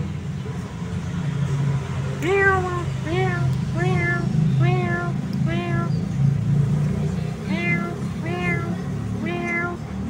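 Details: A hungry cat wanting to eat, beneath a red-shoot tree. Eight rising-then-falling meows come in quick succession, roughly one every second, over a steady low engine-like rumble.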